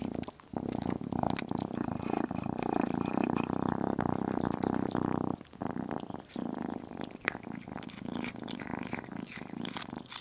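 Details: Tiny kitten purring while eating chicken and beef indoors: a steady, low, fine-pulsed rumble runs continuously, briefly breaking off midway, with soft wet chewing and licking clicks scattered over it.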